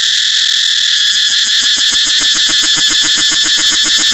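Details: Loud cicada song: a piercing electric-sounding buzz throbbing in quick, regular pulses, several per second, carried without pause to the end.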